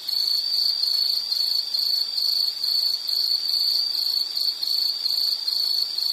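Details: Shrill insect pulses follow one another in a regular rhythm, roughly two or three a second, all at the same high pitch with light background hiss.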